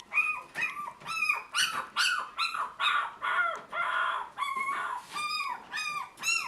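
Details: High, squeaky whimpers and yips from Toy Poodle puppies offered for sale in Tokyo, about two calls per second, each short and arching in pitch, continuing steadily throughout.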